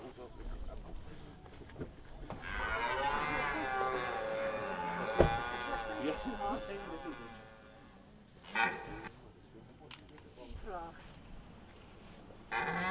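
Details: Red deer during the autumn rut of 2023 in De Hoge Veluwe park, Netherlands, at a spot where the ranger feeds the animals apples. One sustained, harmonically rich roar lasting about five seconds, then short calls and rustling.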